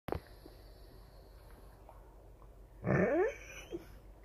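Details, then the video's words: Rottweiler yawning indoors: a single drawn-out, breathy yawn near the end lasting about half a second with a falling squeaky tail, preceded by a brief knock and quiet room hiss. "Rottweiler Yawn"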